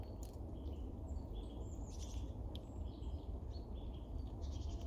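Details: Female red squirrel on a snow-free day, hurriedly eating and caching nuts and tree seeds, directing squeaky chuckling calls at two other squirrels nearby, warning them off; short high squeaks and chirps scattered over a steady low rumble.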